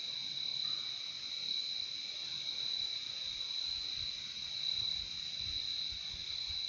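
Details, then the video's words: Crickets in a relaxing nature recording, their chirping merging into a steady, unbroken high-pitched trill with a fainter lower band beneath, constant and even in loudness throughout, with no other clear sounds. "Relaxing sound of crickets"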